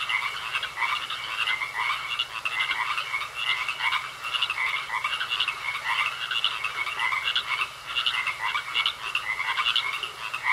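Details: Frogs croaking in a pond, a dense chorus of rapid pulsed croaks repeating several times a second, with a steady high whine running throughout.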